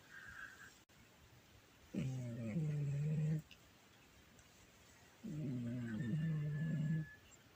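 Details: Domestic cat snoring loudly while asleep, filmed on a phone: two rough, low rasping snore bursts about one and a half seconds long, separated by a quiet pause, with faint room noise between them.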